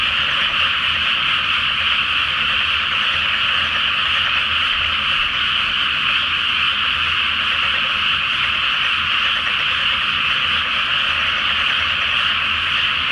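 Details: Massed frogs calling at night from a flooded paddy before rice planting, under the full moon; relentless layered croaking blends into one steady rattling hum with faint low rumble beneath.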